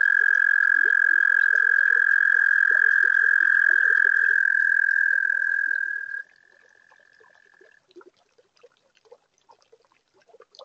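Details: A toad trills at a spring pond on a warm night: a loud, level, high trill lasts about six seconds, then drops to a fainter continuation that ends near eight seconds, followed by soft scattered calls of other pond animals.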